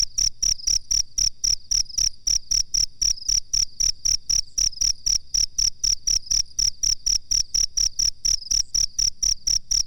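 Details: Cricket chirping for use as a master recording to train songbirds: a steady, high, pure chirp pulsed about four times per second, roughly forty even pulses, with a faint low hum underneath.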